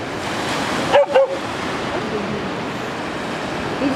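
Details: A female West Siberian Laika named Fira, scared and hesitating at a river she must cross, gives two short, quick barks close together over steady rushing water.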